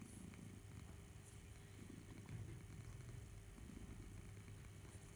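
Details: House cat Barnaby suckling teddy bear Boo, his purr a dense low rumble with slight swelling midway, set against a faint steady background hum.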